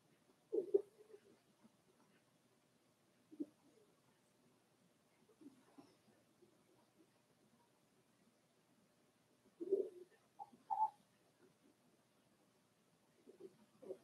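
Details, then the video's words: Cavalier King Charles Spaniel puppies, four weeks old and kept in an indoor puppy pen, let out scattered brief whimpers and squeaks over a faint background, with a cluster of two whines toward the end. "Daisy's Cavalier Puppies Livestream: 4 weeks old"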